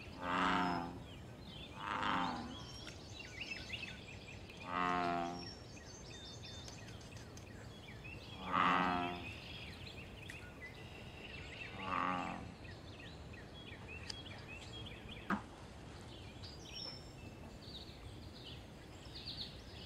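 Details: American bullfrog in the wild at a pond, calling for mating and territory: a series of loud, low, droning harmonic croaks at irregular intervals of two to four seconds, with faint birdsong behind.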